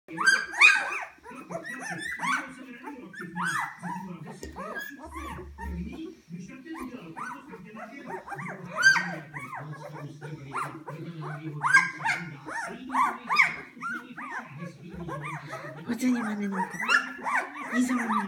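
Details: Hungry Poodle puppies at a kennel, several voices overlapping in high, squealing whines and yelps that rise and fall, almost continuous, with a person talking quietly underneath throughout.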